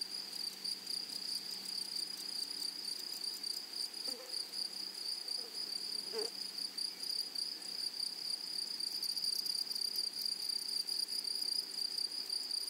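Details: Shrill, sustained high buzzing of grasshoppers in a flowery meadow, rapidly pulsed and constant, with two short faint lower chirps near the middle and the chorus swelling slightly toward the end.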